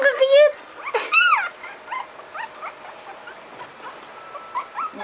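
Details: Puppies whimpering: high, whiny, wavering yelps at the start, followed by a run of shorter, softer squeaks, while a person talks quietly in Filipino.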